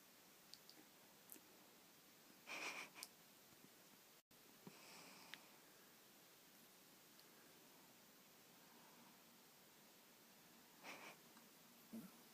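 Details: Freddy, a Chihuahua cross puppy, asleep indoors after a long run and play with his toys, snoring: soft breathy, hissing snorts come in bursts every few seconds, with faint rustles between them in a quiet room.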